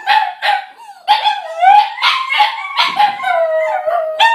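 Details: Two Border Terriers and a Jack Russell/Pug cross howling together in chorus, as they usually do to welcome their owners home: overlapping wavering howls, sliding up and down, with short yelps between, continuous and loud throughout.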